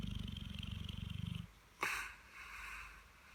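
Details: A sleeping Dogue de Bordeaux, resting after a busy bank holiday weekend, gives a deep rapidly pulsed snore lasting about a second and a half, followed by a short rustling noise.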